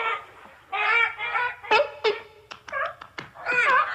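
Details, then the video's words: Seals or sea lions giving a series of loud, harsh, honking calls with strong harmonics. Bursts last about a quarter to half a second and come in irregular clusters, some overlapping as though several animals are calling. "Seal and Sea Lion Sounds"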